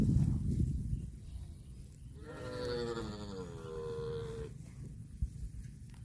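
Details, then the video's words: Domestic cow giving one long, drawn-out moo of about two seconds, steady and harmonic-rich with a slight wavering, set against low rumbling background noise. "CUTE AND FUNNY COW SOUND VIDEOS COMPILATION"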